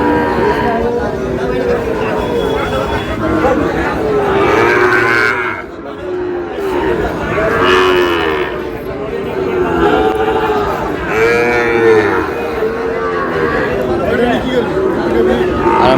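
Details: Sahiwal bull calf bought by a farmer in Noakhali, Bangladesh; repeated drawn-out lowing moos with rising and falling harmonic arcs, several in sequence, over a noisy market-like background with some voices.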